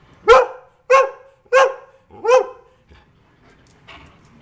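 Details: Greyhound kept as a pet giving four quick, forceful barks in a rapid run about two-thirds of a second apart, followed by faint huffs and shuffling; a breed the owner says does not usually bark.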